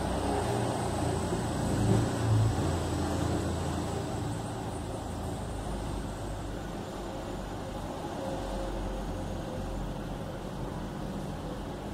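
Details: Low, continuous rumble of road traffic and passing vehicles with a faint high whine, and no animal calls audible.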